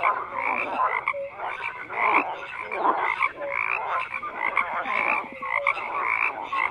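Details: Frogs croaking in a dense chorus, many overlapping rasping croaks and short tonal notes layered together without pause, forming a steady, busy wall of sound.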